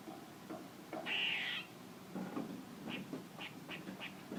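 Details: A single loud buzzy squirrel call of over half a second with a whistled tone, followed by a run of brief high chips and faint knocks.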